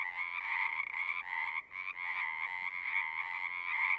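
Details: Many frogs singing at once in a continuous, buzzing trill, layered croaks blending into an unbroken wall of sound with one short dip in the middle.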